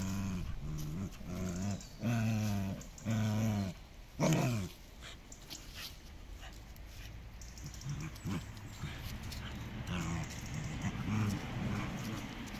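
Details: Miko and Kaela, a pair of dogs in a tug-of-war game, growl loudly in several throaty bursts at first, then a falling whine, before the rumbling turns softer and more scattered toward the end.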